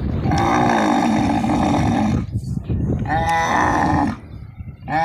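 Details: Camels being loaded onto a truck at a market in Islamkot, Tharparkar. A long, steady harmonic groan of about two seconds, a pause, then a second wavering groan and the start of a third.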